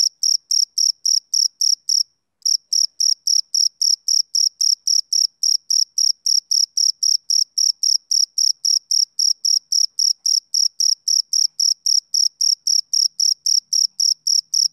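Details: Male cricket chirping on a summer evening, a high, regular pulse near four per second that halts briefly after two seconds, then resumes steadily to the end; no other sounds.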